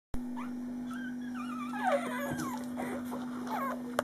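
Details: Five-day-old male puppy tickled on his tickle spot gives soft, wavering whimpers that slide up and down, clustered in the middle seconds, over a steady low electrical hum.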